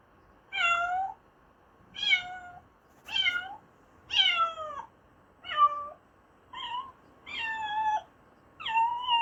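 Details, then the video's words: Cat giving a run of eight separate meows, about one per second. Each is a clear, tonal, slightly wavering cry, some rising then falling and others drawn out and dropping, over a quiet background. "Funny animal sounds: Elephant, Cow, Chicken, Horse, Duck, Dog, Cat"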